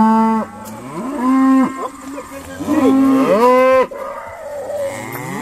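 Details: Several Irish Dexter cows moo while sorted at Stone Meadow Farm, overlapping steady low calls and a higher, bending bellow that rises and falls before stopping abruptly.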